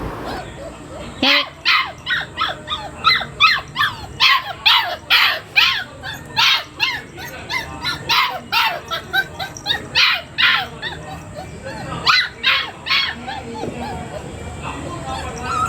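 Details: Labrador Retriever puppy yapping in a long run of sharp, high-pitched barks and yips, about two per second, with short whiny rising notes between bursts and a steady high electrical hum behind.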